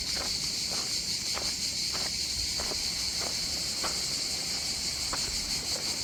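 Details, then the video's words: A background cicada chorus on the southern French coast near Antibes and Cannes forms an unbroken, high, sizzling drone, pulsing slightly, with regular crunching footsteps beneath it. "Só as cigarrinhas de fundo."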